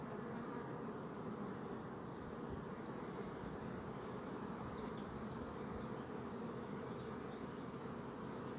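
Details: Buzzing bees form a continuous, thick low-pitched hum. The droning wingbeat sound stays level from start to finish, with faint higher flecks above it and no clear voices or other animals.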